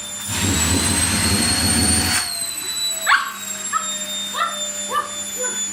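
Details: Toy Poodle aged one year eleven months, cheerful at vacuuming time: a loud vacuum roar stops after two seconds, then a run of short, sharp, rising yips repeats about every half second over a steady electrical hum.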